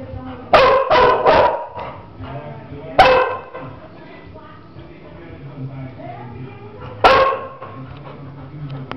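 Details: Labrador, nervous and taking it out on a companion dog: a quick triple bark, a single bark about two seconds later, then another after a quiet gap, with faint voices between.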